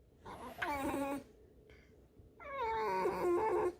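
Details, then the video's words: Female pet fox indoors, scolded for chewing a rag, gives two creaky, squeaky harmonic whines: a short wavering cry, a pause, then a longer drawn-out squeal with a slightly falling, wobbling pitch. "лиса.Вредность и скрип"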